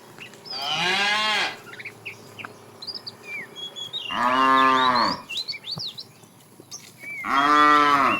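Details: A fat cow in a tame herd being driven in the afternoon, calling the female: three long, deep, harmonic moos about three seconds apart, each rising then falling. Small birds chirp and whistle in the gaps.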